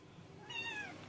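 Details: Red tabby kitten hiding behind a sock drawer in a closet gives a single clear, drawn-out meow that slides downward in pitch and lasts under half a second, with quiet room background.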